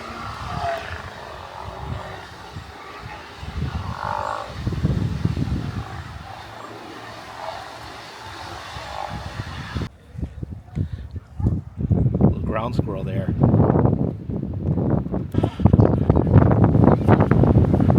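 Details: Steller sea lions on the Oregon coast near Sea Lion Caves give deep, belching, monster-like roars in rough, overlapping bursts from below a viewing area, with strong wind blowing throughout.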